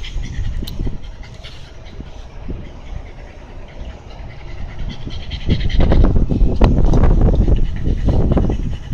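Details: Shiba Inu by a canal in Amagasaki, Japan; soft breathy panting under low rumbling noise grows into louder, quick huffs about four per second in the second half.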